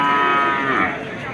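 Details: A cow lowing at a cattle market in Bangladesh, a sustained, tonal moo of about one second that fades, with market background noise.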